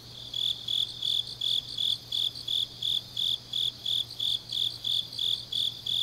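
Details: Autumn grass insects singing deep at night in Changnyeong, Korea; clean high-pitched chirps repeated roughly three times per second, evenly spaced and sharply separated, over a quiet background with a faint steady low hum.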